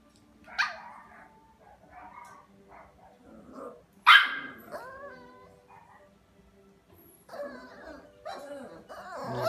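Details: Havanese, a small toy-breed dog, giving two sharp bright barks, one near the start and a louder one midway, with softer whiny and yippy sounds between and at the end, over a faint low background hum.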